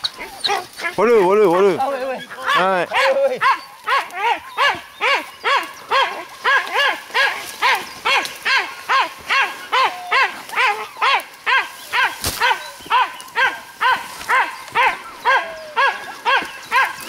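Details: Dachshund baying a wild boar during a hunt in France; a few high drawn-out yelps at first, then a long run of evenly spaced sharp barks, roughly two per second, with a single loud knock midway.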